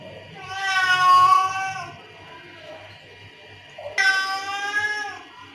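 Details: Domestic cat giving angry calls used to call other cats: two long, strained, harmonic meows, the first swelling and fading over about two seconds, the second starting abruptly and trailing off, low hum beneath.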